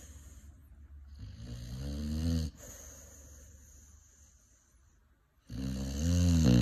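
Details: Five-month-old Cane Corso puppy snoring while asleep: two long, deep, rattling inhalations, each building in loudness over about a second and a half, separated by a quieter wheezy exhale and a brief pause.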